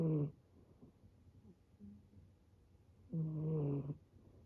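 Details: Male brown tabby and white rescue kitten snoring like an old man: two loud, low, rasping snores about three seconds apart, with quiet breathing between.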